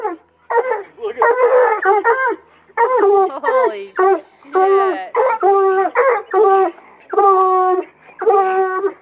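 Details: Coonhounds in hunting training bay at a caged raccoon, which was later released. Loud, drawn-out harmonic howls come in overlapping bursts of about a second, several dogs calling together with brief gaps, each bay bending downward at the end.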